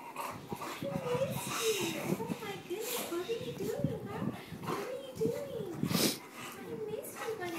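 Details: An 8-month-old English Bulldog whines in rising and falling arcs, excitedly greeting his mom as she comes home, while people talk.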